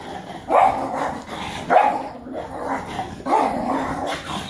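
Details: Male pug acting wild after bath time once wet: three short, harsh barks spaced about a second apart, each a mid-pitched burst with a rough tone, quiet between them.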